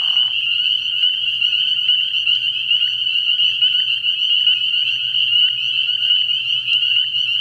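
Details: Dense night chorus of spring peepers from a frog pond early in the year, countless high piping peeps blending into one unbroken shrill band over a faint low hum, a short lower buzz at the very start.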